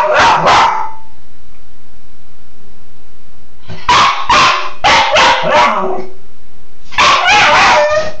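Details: Playful Cairn terrier called Bug barks in the shower: a quick pair of barks, a pause, then a rapid run of four barks and a final cluster.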